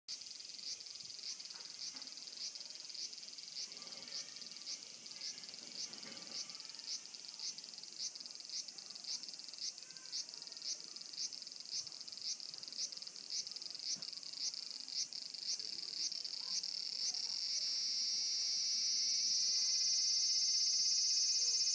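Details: Cicada calling with a steady high buzzing band and regular pulsed clicks about twice a second, swelling into a louder continuous shrill drone near the end.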